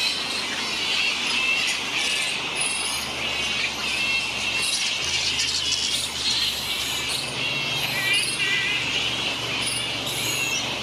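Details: Large colony of grey-headed flying foxes, fruit bats on the NSW Mid North Coast, Australia, giving a constant dense chorus of high squeals and chattering squabbles, with occasional sharper shrieks and a low steady hum underneath.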